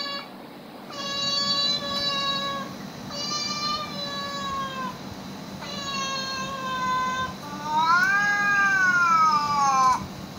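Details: Domestic cats reacting to played animal sounds: four long flat meows followed by a louder wavering one that rises and falls in an arch, with a quiet background hum throughout.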